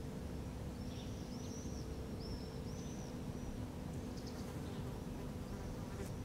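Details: Wasp feeding at a feral rabbit carcass, Helsinki, Finland, in July 2013, giving a constant low hum, with several thin rising and falling bird chirps scattered over it.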